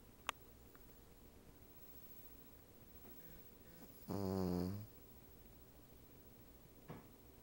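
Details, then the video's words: Female Cavalier King Charles Spaniel snoozing atop a couch, a Siamese cat napping with her: one brief, low, rough snore midway through long quiet stretches, with a few faint clicks. "my Cavalier King Charles Spaniel, snores!"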